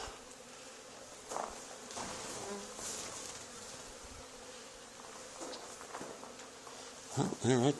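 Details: Honey bee swarm settled on the wall of an old barn, two days after a hive was cut out of the same barn; a steady, low droning hum runs throughout, with faint talk, scattered rustles and louder clattering handling noises near the end.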